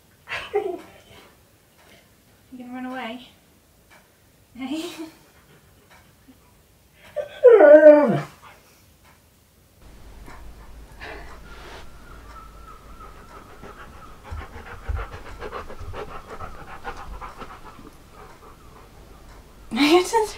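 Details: Siberian Husky Key 'talking' indoors during an ab workout: a few short yowling syllables, then a long wavering, rising-and-falling howl-like utterance near eight seconds, followed by a steady background hum and a brief human voice at the end.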